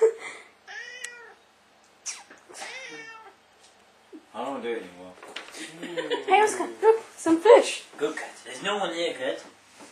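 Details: Oscar, a pet cat indoors, reacting to recorded meowing: a few drawn-out, wavering meows in the opening seconds, then a dense stretch of overlapping meow-like cries mixed with loud human talking in a small room.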